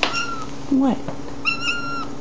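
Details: Mew the cat calls toward a bug, a crane fly, that stays out of reach. A high, steady, drawn-out mew is followed by a woman's brief low word, then a second longer mew with a slight wobble in the middle.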